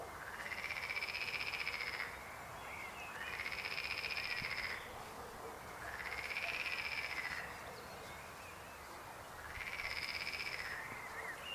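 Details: Frog croaking in four loud, evenly spaced bursts, each a buzzy pulsed trill lasting nearly two seconds with a slight rise and fall in pitch and a thin higher overtone, separated by short quieter pauses.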